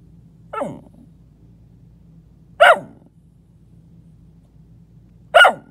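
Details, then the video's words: A pet dog under a bed indoors lets out three short, sharp, downward-sweeping barks or yips spaced about two to three seconds apart, with low room hum between them. "my dog talking under my bed"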